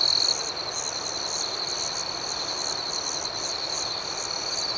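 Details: Crickets chirping at night in a calm outdoor setting, a continuous high, shimmering trill with a softer pulsing layer above it, steady in loudness throughout, no other sounds.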